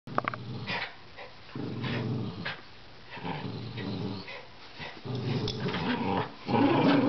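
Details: Rat Terrier growling while playing tug-of-war, low rumbling growls in bursts of one to two seconds separated by short pauses, with scuffling and thuds of the toy tussle.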